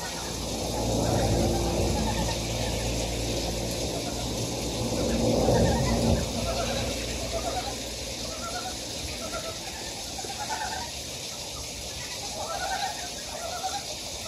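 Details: Frogs calling from a stream valley on Gyejoksan, Daejeon, South Korea. Low rumbling noise dominates the opening seconds, then clear repeated rattling croaks from several frogs rise above the steady water hiss, pulsing about three times a second.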